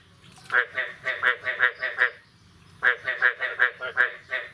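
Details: After the first rain of the year, on the morning of 9 May 2022, frogs give two bursts of grating, evenly spaced croaks, roughly eight notes each, separated by a second of quiet.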